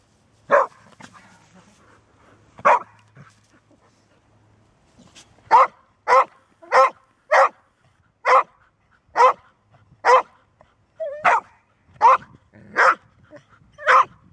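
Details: Golden Retriever, a dog that seldom barks but can keep going persistently once started, barking in a long series of sharp, broad barks, sparse at first and then steady, roughly every half to one second, with a faint low hum.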